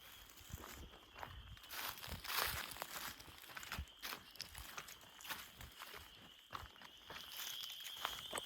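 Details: A spring chorus of spring peepers and wood frogs, waking up as flowers begin to bloom in the Blue Hills forest on the Ice Age Trail, gives steady shrill peeping behind crunching footsteps.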